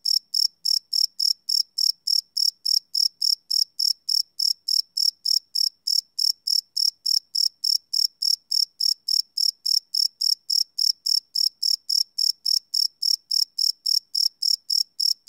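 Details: Night chorus of crickets captured live with a Sony PCM D100 field recorder, a shrill pulsing chirp repeating rapidly and regularly, roughly 207 beats a minute, nothing else audible.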